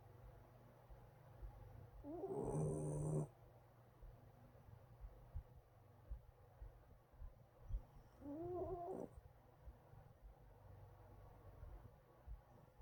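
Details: A Shiba Inu puppy snores in two drawn-out, nasal breaths separated by a quiet pause.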